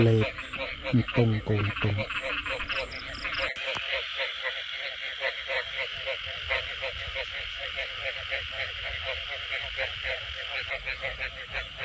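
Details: Frogs calling in rural rice-field country after heavy rain in the rainy season: a few loud, low harmonic croaks at first, then a steady chorus of rapid pulsed calls throughout, with a man's voice briefly audible.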